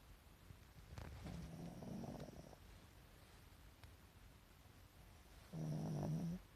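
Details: Pekingese pet dog sleeping with white eyes showing; two rougher, breathy snores with a low hum underneath, about a second long, separated by a quiet pause of several seconds.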